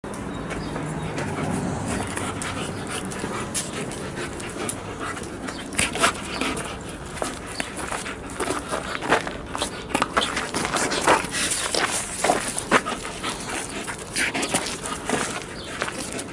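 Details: Alaskan Malamute playing tug of war, heavy rhythmic panting and breathy huffs with scattered short thumps and scuffing from the play throughout.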